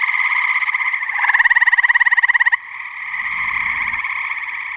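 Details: Muggy-night chorus of tree frogs at a pond in New Jersey: steady buzzing trills from many frogs, one nearby caller giving a loud rapid pulsed trill for over a second before the chorus settles back.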